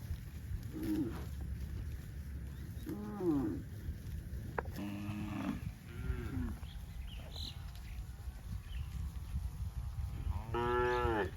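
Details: Dozens of tame cows on a cattle farm, running in green grass rice fields, give a series of short mooing calls, several brief and one louder, longer moo at the end, over a steady low rumble.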